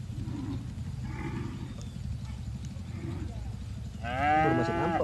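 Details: Cattle herd grazing in a green field, enjoying the grass; after a murmur of low rumbling, one loud, rich moo swells near the end, rising then sagging in pitch.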